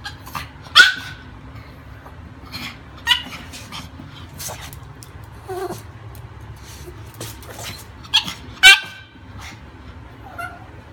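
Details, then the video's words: Pomeranian named Peaches at play time, wanting to play: scattered sharp yips and short barks, a few in quick pairs, separated by quieter stretches with a constant low hum underneath. "Peaches the cutest Pomeranian wants to play"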